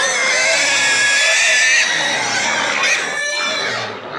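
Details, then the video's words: Excited pigs and piglets scream loudly and continuously, a harsh, piercing squeal that barely pauses for breath; all were safe. "Pigs make an awful loud noise!"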